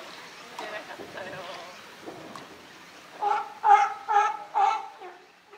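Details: California sea lions at Higashiyama Zoo and Botanical Garden on 12 September 2023, with their group boss Felix. After a few seconds of soft voices, four loud, honking, harmonic barks come in quick succession, then fade.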